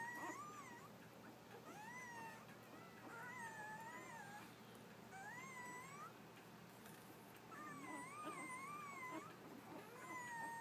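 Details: A litter of eight newborn Labrador puppies, born early in the morning to Bitsy, gives overlapping high squeaky whines. Each call bends up and down and lasts about a second, with short gaps between bursts, in a quiet indoor room.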